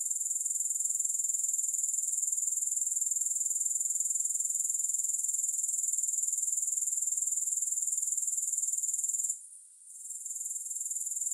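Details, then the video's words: Insistent shrill buzzing of grasshoppers, a fast regular pulse high in pitch, carries unbroken until a short dip near the end, after which the chorus returns. No music. "3 Hours of Grass Hopper Sounds"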